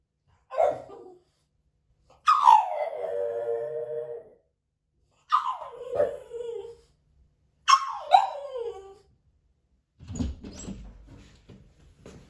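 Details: French Bulldog Moto-Moto, left alone at home and recorded on a hidden camera, makes a string of five short howling whines. Each drops steeply in pitch, and the last one turns rougher and more broken.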